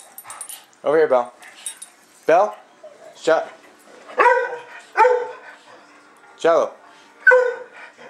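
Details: Puppies indoors giving a run of short yips and whines, eight or so harmonic bursts spaced about a second apart, while a person speaks commands nearby.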